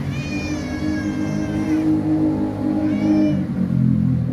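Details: Sick male cat with a hernia, just picked up from the vet clinic, giving two drawn-out, wavering meows, the first nearly two seconds long, over a steady low rumble of engine-like background noise.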